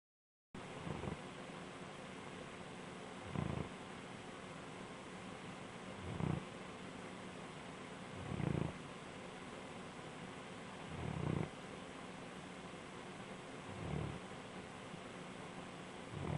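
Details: A relaxed Bloodhound snores in deep, throaty, low rumbling snorts that rise and fade with each slow breath, roughly every two to three seconds, with a steady faint hiss between them in a quiet room.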